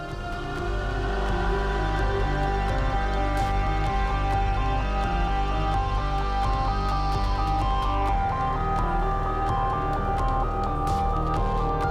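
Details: Dark electronic music with a steady low drone and ringing tones; no animal sound is heard.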